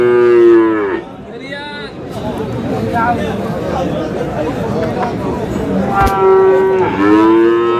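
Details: Friesian and cross-breed bull calves at Aftabganj cattle market in Dinajpur, lowing loudly: one drawn-out, falling moo opens, then after a stretch of crowd chatter a second calf gives two more falling moos near the end.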